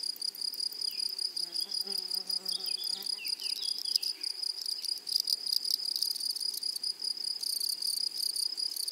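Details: Meadow grasshoppers buzzing in chorus: a steady high, shrill, rapidly pulsed trill that grows louder toward the end, while birds chirp and twitter softly underneath during the first half.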